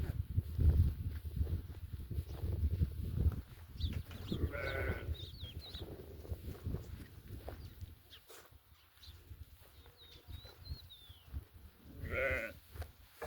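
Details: Mother goats with their young kids: two short, nasal bleats about eight seconds apart, the second more wavering. Low rumbling noise fills the first half, and small birds twitter with high thin calls in between.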